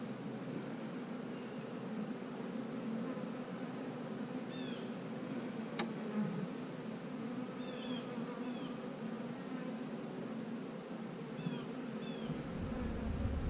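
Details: Open honey bee hive during a search for a young, unmated queen; a steady buzzing drone with short, high bird chirps now and then, one sharp click, and rising handling rumble at the end.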